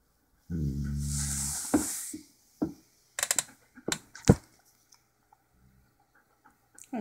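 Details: Two Siberian Huskies, Otus and Chinook, chattering to each other indoors, recorded on a hidden camera: a drawn-out, harmonic, wavering moan for about one and a half seconds, followed by short sharp clicks and knocks.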